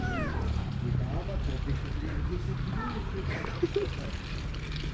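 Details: A stray she-cat, parted from her boyfriend, opens with a drawn-out falling meow, then gives a softer second cry about three seconds later. Low traffic hum and occasional human speech are heard behind her on the street.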